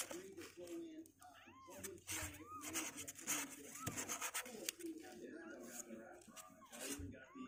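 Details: Sixteen-day-old kittens, legs stronger, refusing to sit in their box; a string of short, arched mews in the first few seconds, irregularly spaced, mixed with human speech and handling noises.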